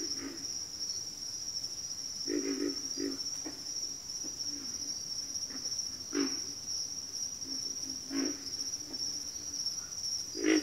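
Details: Backwater frogs give scattered deep grunts, some doubled or tripled, against a continuous high-pitched insect hum.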